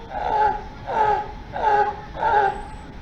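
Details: Sea lion at Zoo Amiens in May 2022, one of five kept there. The animals bark to communicate within their group, and each has its own voice. Four harsh, harmonic barks come at a steady beat, about one every 0.7 seconds.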